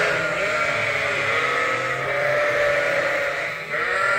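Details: Several bottle-fed lambs at Ewetopia Farms, still on their mothers, keep up a dense chorus of sustained, wavering bleats with no pause.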